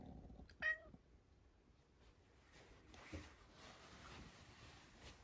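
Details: Sacchan, a rescued male house cat born around spring 2019, indoors at home in Higashiomi, Shiga, in spring 2023, gives a single short, soft meow that rises and falls. A quiet room with a faint steady hum follows.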